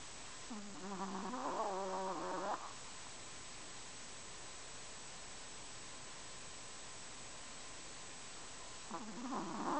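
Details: Two snoring breaths from Kenny, a Chihuahua: a wheezy, quavering whistle lasting about two seconds, a long quiet pause, then the next snore beginning near the end; faint steady background hiss.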